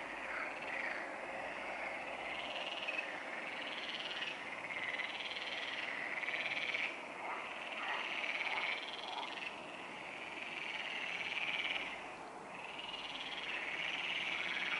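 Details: Frogs calling at the Neuer Teich pond late at night, 23:27 on 28 May 2017: a dense, continuous chorus of overlapping rapid croaks that swells and dips every few seconds, with no other clear sounds.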